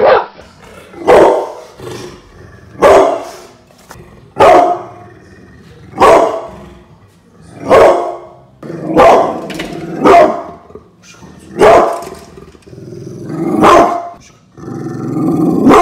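A pit bull barks in loud, harsh bursts, one every second or two.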